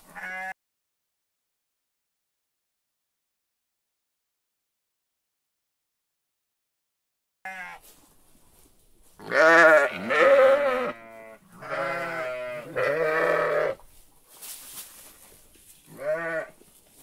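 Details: Sheep and lambs on a farm giving a series of short, wavering bleats in quick succession after a long silent stretch, some overlapping, with a final brief bleat at the end.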